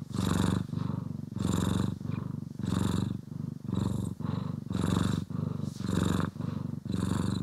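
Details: Domestic cat purring while being groomed and brushed, one of the pet cats Poki and Kiwi, recorded indoors in stereo: deep rumbling purr pulsing in steady alternating phases about once per second, each louder burst carrying a breathy hiss.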